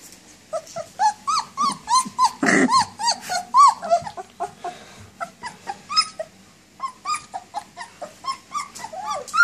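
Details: Nineteen-day-old German Shepherd puppies, walking and playing, whine for their mother in a dense chorus of rapid, high, arching whimpers and yips, several pups overlapping, with a brief noisy scuffle near the start.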